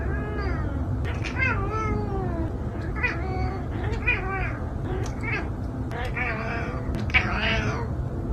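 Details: Cat meowing repeatedly in a compilation of funny cat clips: several short wavering meows with rising and falling pitch, overlapping with a steady low rumble throughout.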